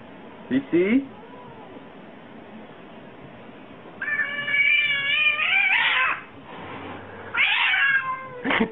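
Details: Domestic cats meowing in a compilation: a short cry near the start, then a long drawn-out wavering meow around four to six seconds and another rising-falling meow near the end, with human speech faintly in the background.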